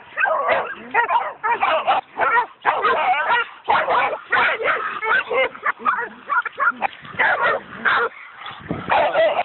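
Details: Excited coonhounds bay at a raccoon, a dense run of rough, overlapping barks and yips in uneven bursts, easing into a few scattered calls near the end.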